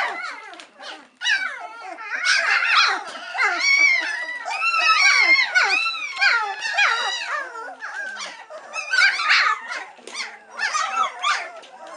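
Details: Impatient three-week-old White Swiss Shepherd puppies calling while they wait for their mother Cova to feed them; a dense, nearly continuous tangle of squeaky whines and yelps from many pups indoors.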